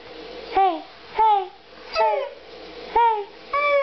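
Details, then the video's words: Demon, a pet Siberian Husky, 'talks' back to his owner indoors: five short, yodel-like calls that swoop down in pitch, coming about every half-second to second in a small room. "Having a conversation with my husky"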